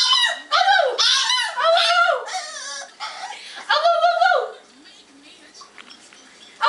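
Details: A French Bulldog cries in high, wavering whines that rise and fall in quick bursts.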